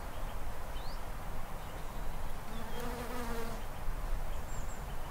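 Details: Honey bees forage on Daphne bholua shrubs on a late-winter morning, February 1st, at about 10°C with a brisk westerly wind, humming low and steady, with one bee's buzz briefly swelling as it passes close.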